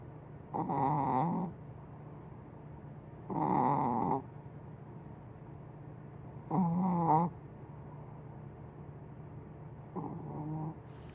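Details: Snoring of Willow the sleeping cat, likened to a big dog's; four buzzy, rattling snores roughly every three seconds, the last one softer, with quiet pauses between.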